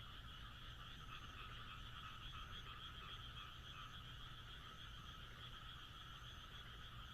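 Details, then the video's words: Countryside frogs in Japan on a moonlit night form a thick, continuous chorus of rapid croaks, with brief swells in loudness and a steady low rumble beneath throughout. "田舎の月夜 カエルの鳴き声"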